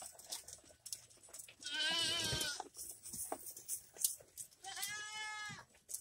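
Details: Goats on a ranch, two drawn-out wavering bleats rich in harmonics, each lasting about a second, separated by a few seconds of quieter background noise and faint clicks.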